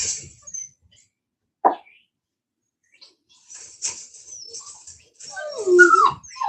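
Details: Cane Corso (Italian Mastiff) from a breeder's pack located an hour west of Nashville, Tennessee; a single short bark-like burst, then high, sweeping whines and whimpers that rise and fall toward the end.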